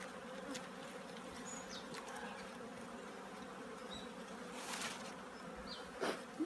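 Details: Many honey bees working at their hives during preparations for winter; a continuous low buzzing drone with a slight waver, overlaid by occasional brief knocks and a louder close pass near the end.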